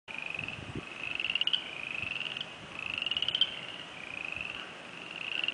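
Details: A dense chorus of spring peepers, heard for the first time this year as a sign of coming spring: high, shrill peeps overlapping into a steady ringing trill.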